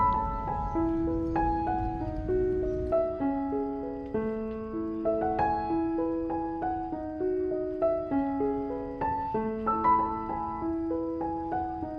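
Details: Gentle piano melody of plucked-sounding notes stepping up and down, with no animal voice audible.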